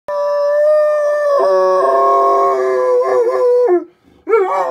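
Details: Arwen, a pet dog, howling in response to sirens: a long sustained mid-pitched howl, then a wavering section with quavering breaks, a brief pause and a final wobbling rise.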